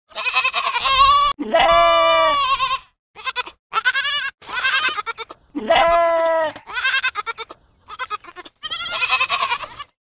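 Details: A goat bleats in long, wavering, nasal cries, several drawn-out bleats broken by short choppy ones over ten seconds.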